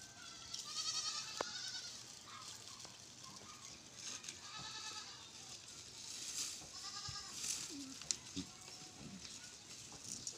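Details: Soft, wavering goat bleats on a farm, recurring every second or two but mostly quiet against a steady hiss, with scattered clicks and bumps.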